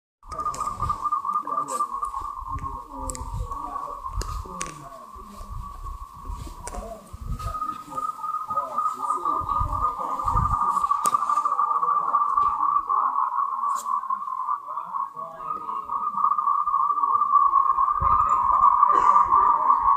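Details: Moltrecht's green tree frogs, a species endemic to Taiwan, give mating calls as a dense, continuous chorus of rapid pulsed notes at a steady mid pitch. Low thumps and knocks sound underneath, and the chorus swells louder toward the end.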